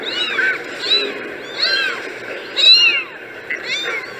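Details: A group of kittens crying in short, high, arched mews, several at once, bunched into four or five quick bursts separated by brief softer gaps.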